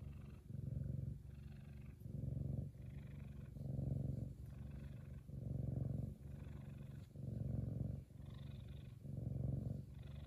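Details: Loud, happy purring from Kumba, a male F2 Savannah cat: a steady low rumble that swells and fades with each breath, about eight even pulses over ten seconds, with no other sounds.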